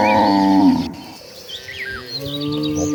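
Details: Deep, rough moo from one of dozens of cattle walking as a herd toward green pasture. The call lasts under a second and then fades, leaving scattered bird chirps and soft rustling.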